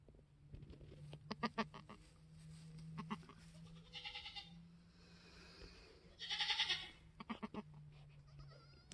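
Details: Newborn Mini Alpine buckling, an F4 kid born on a homestead on March 13, 2021, black with white frosted ears and nose, bleats twice, a shorter cry then a longer strained one, over a constant low hum, rustling and quiet human voice.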